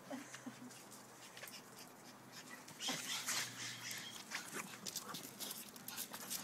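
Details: French Bulldog Benny and pug puppy Joon at play-fighting, giving rapid, rough snorting grunts in uneven clusters, louder and denser midway, amid rustling scuffles.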